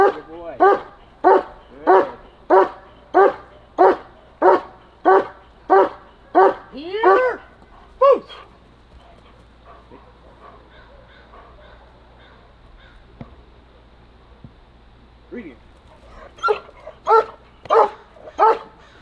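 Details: German Shepherd in protection training barking in a fast regular run of about a dozen loud barks, then a lull with a handler's voice, before a fresh burst of barks at the end.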